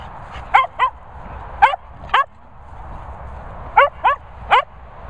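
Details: Cocker Spaniels named Finlay, Murphy and Willow giving repeated sharp yelps, in twos and threes with short gaps, the pitch bright and shrill over a faint room hum.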